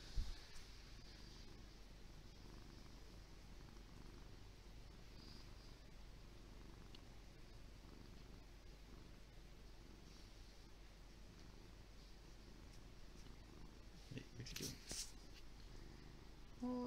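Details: Lee, a big fluffy pet cat, purring steadily in a low continuous rumble throughout, with brief rustling and handling noises near the end.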